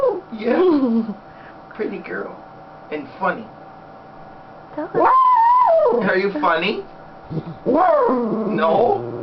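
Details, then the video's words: Happy female Schnauzer lying on her owner's lap indoors gives whiny, talking-style vocalisations: short wavering yelps, then a long sustained howl-like tone that rises and falls. A woman's voice chats with her between the sounds. "Sounds of a happy Schnauzer part 1"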